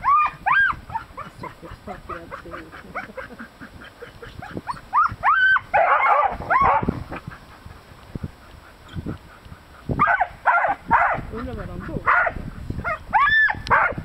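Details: Three Irish terriers trying to catch baby hedgehogs: excited high yelps and barks, some rising and falling whine-like calls, in irregular bursts, with bouts of noisy scuffling and rustling between them.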